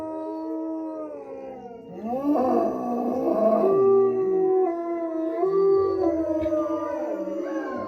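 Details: Wolfdog howling at a wolf sanctuary in southern Ohio, captive; sustained tonal howls that swoop up and then hold steady, with several voices overlapping and wavering in pitch, growing louder after a quiet opening.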